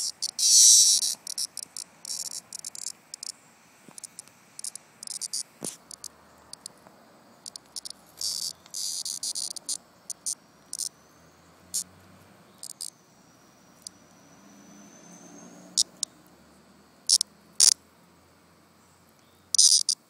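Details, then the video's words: Cicada in summer, a single insect near the end of its life after falling from a tree, giving intermittent harsh high-pitched buzzing bursts, some brief clicks and some lasting about a second, with quiet gaps between and a faint human voice early on. "Summer Sound Cicada"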